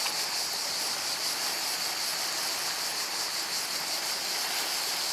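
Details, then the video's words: Cicadas by the sea at Portonovo: a dense, shrill, continuous buzzing chorus, high-pitched with fast pulsing throughout, over a soft wash of surf. "solo cicale e mare a Portonovo"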